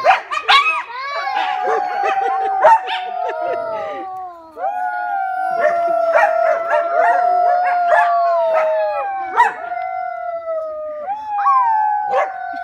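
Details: Coyotes at the Alaska Zoo howl in long, wavering tones broken by sharp yips, with children's howls mixed in.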